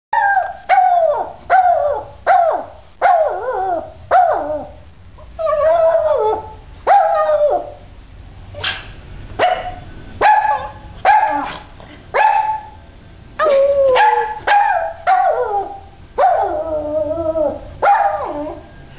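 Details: Pet dog howling in a long series of wavering, mid-pitched howls and yelping barks, each lasting about half a second to a second, repeated almost continuously with short gaps, some notes sliding down and breaking.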